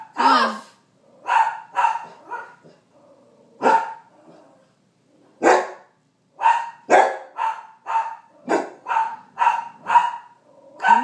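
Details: Bernedoodle puppy named Sasquatch barking in short, sharp, high yaps, spaced irregularly about once a second with brief pauses, a few softer yips between.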